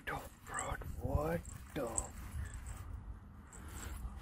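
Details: Dogs in Halloween costumes, with a Husky howling from excitement; a short run of rising and falling whiny, talking-style howls in bursts over the first second and a half, then quieter rustling and background noise.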